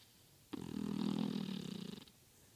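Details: A beagle sleeping and snoring: one rough, rasping snore about a second and a half long, low and pulsing, with quiet room tone before and after.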